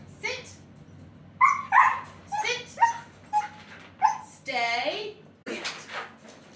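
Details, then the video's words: Siberian Husky at home enjoying a Sunday roast, giving a series of short yowling, talkative vocal sounds with one longer wavering howl-like note, mixed with human voices. "Husky enjoys Sunday Roast"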